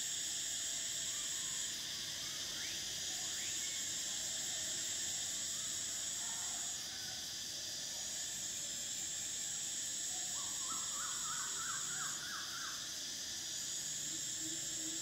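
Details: Summer cicadas keep up a loud shrill drone whose high band switches on and off in long stretches, while faint bird chirps and a short rapid series of higher notes near the tenth second sit beneath it.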